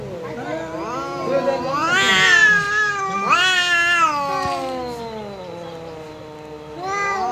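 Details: House cat confronting a visiting cat, trading drawn-out yowls; two loud rising-then-falling wails in quick succession, followed by a long sagging moan and a fresh wail at the close.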